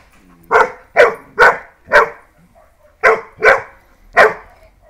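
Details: Rapid barking from a German Pointer and a Dachshund set against each other: seven loud, harsh barks, four in a quick run, a brief pause, then three more, over a quiet background.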